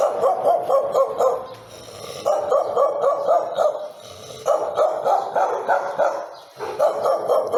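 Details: Dog barking in fast volleys of about four to six harsh barks each, separated by brief quieter gaps.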